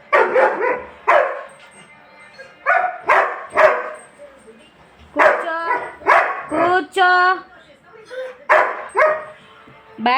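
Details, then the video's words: German Shepherd named Bat crying and yelling indoors because his mother went out and he wants to be taken out too; loud, harmonic whining howls in bursts about every second, interleaved with a woman's voice telling him to sit. "అమ్మ బయటకు వెళ్లింది వీడిని కూడా పంపాలి అని అరుస్తున్నాడు"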